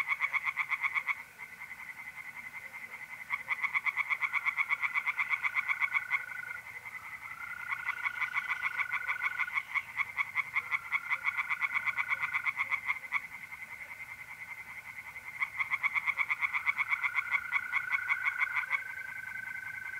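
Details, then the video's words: Nocturnal tree frog song from a north-east Italian pond in April: several bouts of fast, buzzy pulsed croaks that swell and fade, with mole crickets trilling steadily throughout. "relaxing singing tree frogs in pond and trilling mole crickets by night"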